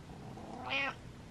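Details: A pet cat gives one short meow of under half a second, a bright nasal note that rises and then drops, heard against quiet indoor background hiss.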